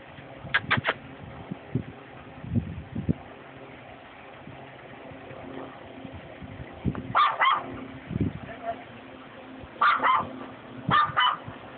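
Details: Chihuahua barking at a black cat: sharp yelps in short bursts of two to three near the start, at about seven seconds and again near ten and eleven seconds, with talking and a low hum between barks.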